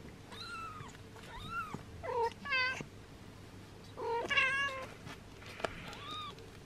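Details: Kittens six days old, black Yami and lavender Hisu, squeaking as their mother licks and grooms them; a run of thin high mews, arched and bending, several overlapping in quick succession, with soft indoor hum beneath.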